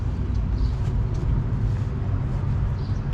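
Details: Low rumbling vehicle traffic on an urban street, steady engine drone throughout with no animal voice heard.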